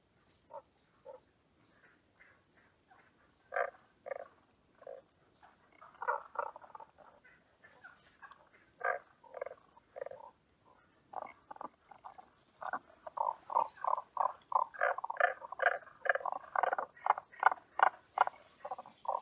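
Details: At Asamushi Aquarium, a Tago's brown frog calls in a series of short, throaty pulses. Widely spaced at first, the notes grow denser and louder into rapid, rhythmic runs near the end.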